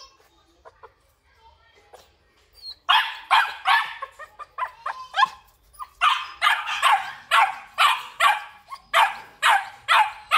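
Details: At a Vietnamese kennel, black and red-black Belgian Malinois males break from near quiet into insistent, gravelly barking, two runs of evenly spaced barks roughly twice per second with a short pause between.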